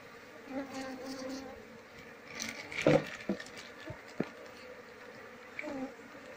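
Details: Asian honey bees droning around an opened nest as comb is cut away with a knife to find the queen for hive transfer; soft hum under loud scraping bursts and knocks.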